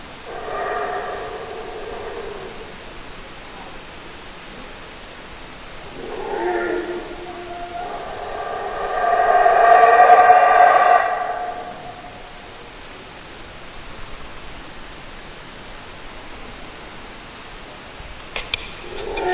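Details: Howler monkey roaring in several bursts: a short opening growl, a brief mid roar, then the loudest sustained, throaty howl around the middle. Quiet hissing background fills the gaps, with a few faint clicks near the close.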